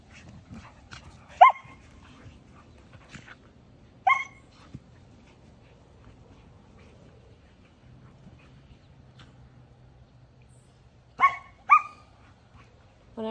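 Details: Two spayed female Samoyed puppies, Sasha and Susie, excited to play together again after the smaller one healed from surgery. Short, sharp, ringing barks come in scattered bursts: one, then another about three seconds later, then a quick double near the end, with quiet between.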